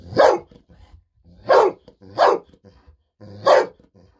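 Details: Bis, a Golden Retriever, barks happily for a fish-sausage snack indoors and keeps on barking. Four loud, punchy barks spaced roughly a second apart, with low rumbling breaths in the quiet gaps.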